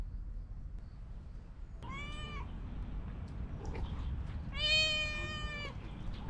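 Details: Stray cats gathering while a person strokes an orange cat, three others coming over to watch; two clear, drawn-out meows with rich harmonics, the second longer and louder, over a steady low rumble.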